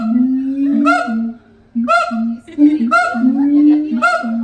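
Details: Two siamangs at the Los Angeles Zoo, the mated father and mother, duetting. Deep sustained booms alternate with short rising barks and wavering higher whoops in overlapping phrases.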